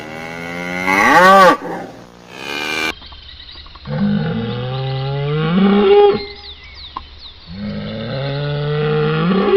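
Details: Cattle lowing: a loud rising-falling bawl, then deeper, long, wavering moos that follow one another with brief dips between them, with abrupt edits.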